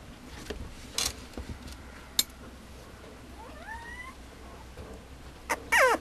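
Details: Female Mame Shiba puppy at a breeder: a thin rising whine near the middle, then a louder wavering high whine at the end, among scattered knocks and clicks, with a person murmuring just after.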